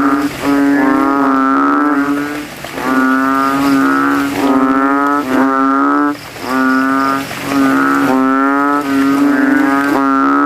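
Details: Banded bullfrogs calling loudly in a puddle after rain at night in a cemetery, inflating throats as rival males vie to be loudest; booming, humming notes of about a second, repeated in quick series with short pauses.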